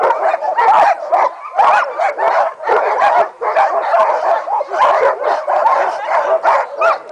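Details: Several Mahoosuc sled dogs bark and yip together in anticipation of the run, producing a dense, unbroken clamour of overlapping high yelps and barks that barely pauses.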